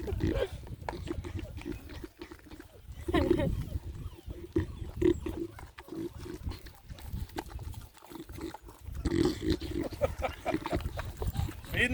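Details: A Beagle named Misty snorts and grunts in low, wet, pig-like bursts while eating, finishing up the puppy's breakfast, with a person talking over it.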